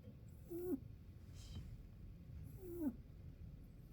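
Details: Two thin, whistled snores from a rabbit, about two seconds apart. Each is a brief level squeak that drops sharply at its end, with soft low background noise between them.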